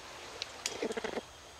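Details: A greater bamboo lemur feeding on bamboo gives a quick run of short, nasal chirping grunts, warning another lemur not to come close because it wants the bamboo to itself.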